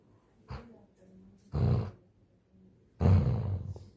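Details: A Labrador puppy playing tug with a blanket growls in three deep, rough bursts about a second apart, while a person speaking Hindi tells it to let go of the blanket.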